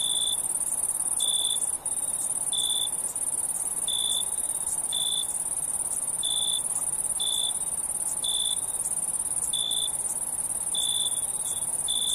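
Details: Crickets on a night-time sleep-relaxation recording: a steady, shrill, high trill runs throughout, overlaid by short, lower chirp bursts repeated about once a second at an uneven pace, with no other clear sounds.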